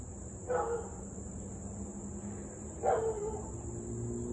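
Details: Distant Siberian Husky in a long bout of nuisance barking and howling, evening of 3 August 2021: two short, harmonic yelping bark-howls about two seconds apart over a constant high-pitched background hum and low rumble.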